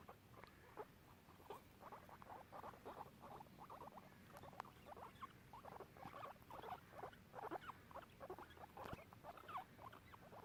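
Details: Two guinea pigs exploring a garden chatter in a steady run of short, rising squeaks and chirps.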